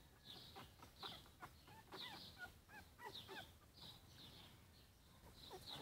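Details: Young Yorkshire Terrier puppies, four weeks of age, making a steady stream of shrill squeaks and short descending whines, calls overlapping closely with little pause between them.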